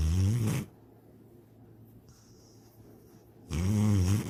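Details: Sydney, a pet dog, snores in her sleep, dreaming of chasing a rabbit and swimming in a lake: two low, throaty snores with a wavering buzzy pitch, separated by about three seconds of quiet room hush.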